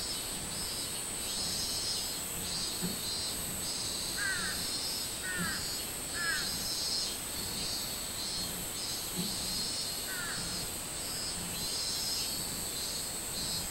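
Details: Minmin cicada in summer, 24 July 2016, pulsing in a shrill, rhythmic buzz above a continuous high hiss; a few short descending bird notes break in around the middle.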